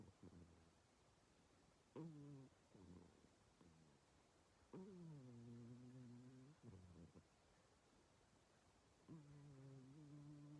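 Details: Female pet cat Mii-chan asleep and relaxed, snoring like an old man: soft, low tonal snores of one to two seconds, some beginning with a sharp catch, amid quiet breathing and faint room hiss.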